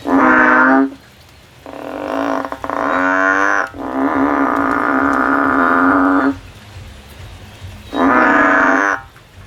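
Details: Song of a male frog in a field: a sequence of loud, buzzy, harmonic drones of varying length, the middle ones sustained for two to three seconds, separated by short pauses.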